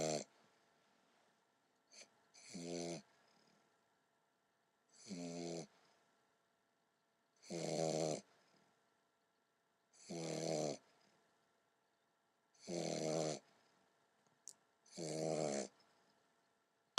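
An English Bulldog puppy snores in rough, rattling bursts about every two and a half seconds.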